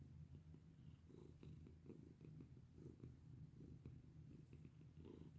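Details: Small black domestic cat purring while being petted, a soft low rhythmic rumble pulsing in quick breaths, with light rustling of fur.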